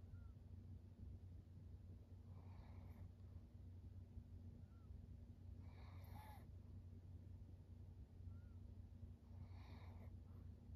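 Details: Maria, a 13-year-old senior fawn female pug in Japan, recorded in September; three breathy, noisy snorts come roughly every three and a half seconds, with faint thin whistled notes between them over a steady low hum.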